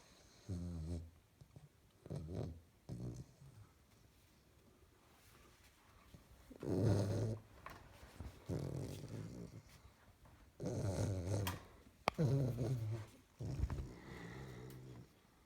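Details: In a happy dream, a 12-week-old springer spaniel puppy snores loudly. Deep, rumbling, harmonic snores come in repeated bursts lasting about a second, with quiet breaths in between.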